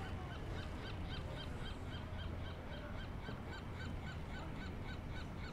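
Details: Barking California sea lion while sunbathing: evenly spaced, rapid honking barks repeat several times per second across the whole stretch, above a low, rumbling wash of surf.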